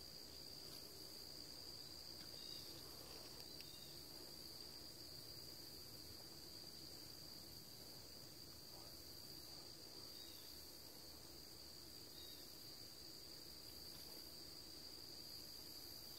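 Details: Crickets on a September afternoon near a house, recorded Thursday September 13th at 2:40 P.M.; a constant high-pitched trill runs throughout, with low rumbling noise beneath.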